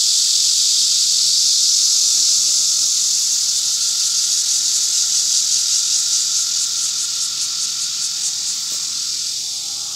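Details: A cicada's loud, steady hiss fills the air at a farm garden where peanuts were harvested, high and shimmering with a fast pulse.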